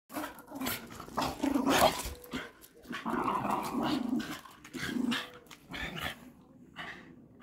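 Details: Patterdale Terriers, working hunting earthdogs, playing together with a stick; rough continuous growling with snarly bursts and short gruff barks, scuffling noise throughout.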